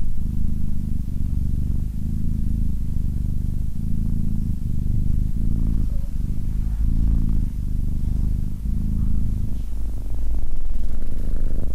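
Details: Close deep purr of SimbAs, a relaxed Abyssinian cat: rumbling bursts repeating roughly every second in breath rhythm, a faint higher squeak near the middle, louder toward the end.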